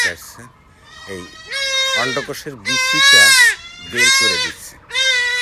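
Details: Young goat kid bleating while being castrated with a knife, its testicles cut out: loud, high, wavering cries repeated about once a second, mixed with men talking nearby.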